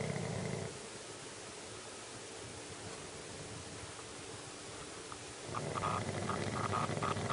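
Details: Shih Tzu. A sleeping Shih Tzu gives low, rasping snores that rumble deep in the throat. A short burst opens the recording, a long quiet stretch follows, and a louder, buzzier snore returns near the end.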